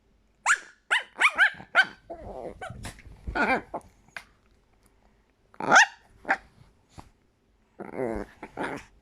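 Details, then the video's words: Chihuahua acting like a squeaky toy, giving a run of high, squealing yelps and short barks, then a pause and a few more sharp squeaks, ending with a buzzy, rattling whine. "Chihuahua als Quietschtier"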